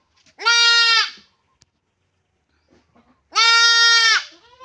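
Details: Goat being castrated, giving two loud, drawn-out bleats about three seconds apart, each steady and harmonically rich, ending with a short falling tail; near silence between them.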